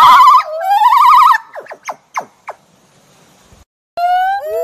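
A gibbon gives loud, rich rising hoots, then a run of quick sweeping notes and more climbing whoops.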